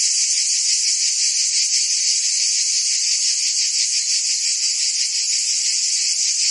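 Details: Many crickets and insects sounding together: a shrill, rapidly pulsing trill at high pitch that never pauses, with a faint low hum briefly underneath near the end.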